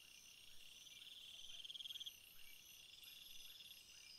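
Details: Crickets calling in a flower field: constant high trills in the background and one clear pulsed chirp of about ten quick beats lasting half a second.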